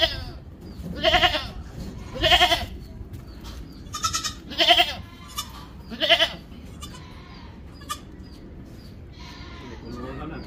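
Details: Mother goat and her kid being moved to a new place, giving five loud, harsh, quavering bleats about once every 1.2 seconds, then quieter faint calls and rustling in the background.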